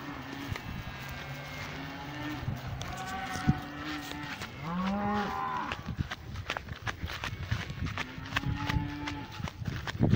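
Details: Several overlapping moos from cows in a pasture, long low drawn-out calls and one rising bellow, amid constant clicks and rustling noises.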